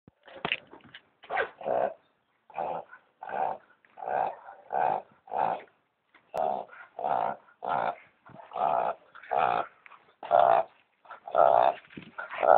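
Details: A Boston Terrier with hayfever, after running through weeds and brush, snorts and sneezes in short, rough bursts about once a second, trying to clear the irritation from his nose.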